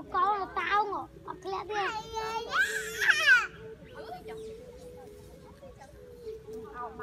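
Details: A baby monkey that has lost its mother gives shrill, wavering cries over and over, calling to her at the top of a tree until she comes down.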